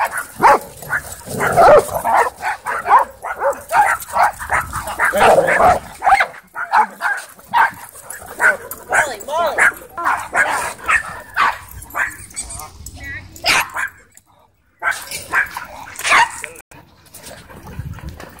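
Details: Wild play among dogs at a dog park: a dense run of excited yips and barks for about seven seconds, thinning to scattered barks later, with speech mixed in.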